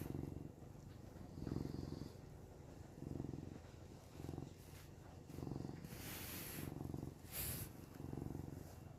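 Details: Samson the cat purring while camping, with Nova snoring nearby: low rumbling throb in swelling bursts roughly every second and a half, with two brief hissy rustles near the end.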